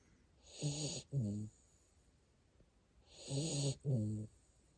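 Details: A sleeping Siberian Husky puppy in Japan snores loudly, two cycles of a long, raspy, buzzing inhale then a shorter rumbling exhale.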